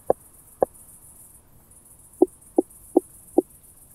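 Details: Southern Oak Bush-cricket recorded in Starnberg, Germany, on 7 August 2023 through a Pettersson D 100 ultrasound detector: two brisk clicks, a pause, then four evenly spaced slightly deeper ticks, with a thin high hiss throughout.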